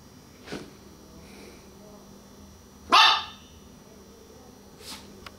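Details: Baby, a small female Chihuahua, at home in a living room, gives one sharp loud bark midway, with softer yips before and after and quiet voices in the room.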